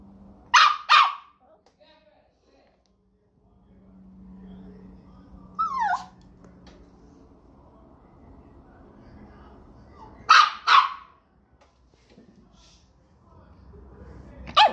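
Pinscher puppies giving sharp, high yelping barks in quick pairs, with a brief whine between them.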